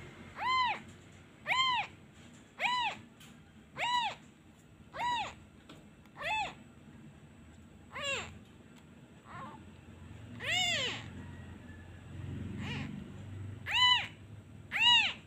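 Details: Orphaned kitten calling for its absent mother after a hand is lifted away, a long series of repeated high arched meows about once a second, some fainter, with brief low rustling near the middle.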